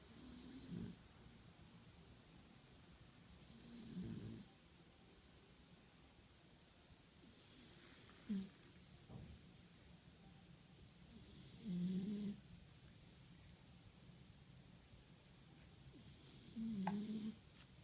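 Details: Sleeping Shar Pei puppy, tired after a long day, snoring sweetly; five short, low snorting snores arrive roughly every four seconds with near silence between them.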